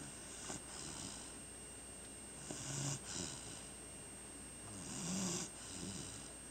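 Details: Snoring from a sleeping chocolate Labrador named Ocean, indoors at home. Airy rasping breaths with low throaty rumbles rise and fall at an uneven pace, about every two to three seconds, against a faint steady background hum.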